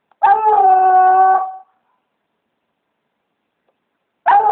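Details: Redbone Coonhound baying at a raccoon treed in a palm tree: a loud sustained howl lasting over a second, then silence, then the start of another bay.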